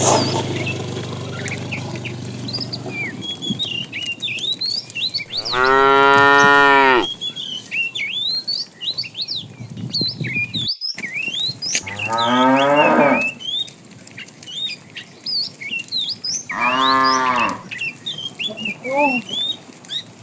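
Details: Morning herd of tame cows roaming in search of food: one long, strong moo, then two shorter, wavering moos with a faint fourth call, over constant chirping and whistling of small birds.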